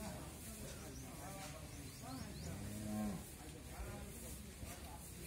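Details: A pregnant Holstein Friesian cow, nine months in calf with her first calf, on a dairy farm in Bhangura, Pabna, Bangladesh, gives one low drawn-out moo over steady farm background noise.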